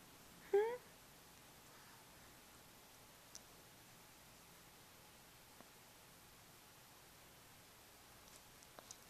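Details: Sleepy puppy with hiccups while trying to fall asleep: one short, squeaky, rising hiccup near the start, then a few faint soft clicks spaced several seconds apart in a quiet indoor room.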